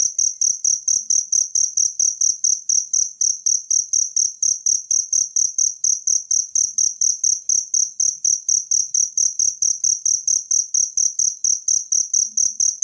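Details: Wild cricket, recorded to train songbirds, keeping up a long run of thin, high, buzzy chirps spaced about a third of a second apart. The chirping stays constant in pitch and loudness throughout.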